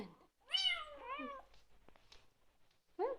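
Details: Young Bengal kitten making appreciative noises over his dinner: a clear, bright meow that rises then falls, followed by a lower drawn-out mew and a brief third call, with a person softly talking nearby.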